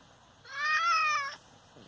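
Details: An injured father cat, struck by an unknown person after being fine the day before, gives one steady drawn-out meow lasting nearly a second, level in pitch with a clean ending.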